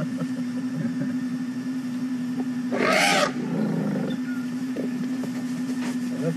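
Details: Young female elephant trumpeting during a morning game drive after rushing out of the bush toward the vehicle: one loud, brassy blast lasting about half a second, with a man speaking and a steady engine hum underneath.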